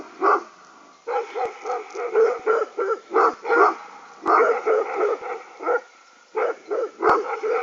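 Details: Three agitated dogs, two crossbreeds and one Aksaray Malaklı, being provoked; deep, rhythmic barks repeat about twice a second in bursts with short pauses between them, and a few faint clicks are also heard.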